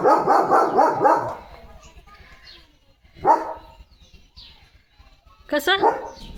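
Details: Leo the German Shepherd plays with a water mug in his mouth. A burst of quick, muffled barking opens the clip, followed by two short, isolated vocal bursts amid indoor quiet and some human talk.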